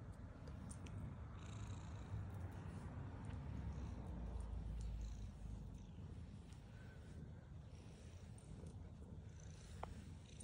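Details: Black female pet cat purrs as she eats: a deep continuous rumble that swells in the middle and fades again, with scattered light clicks of eating above it.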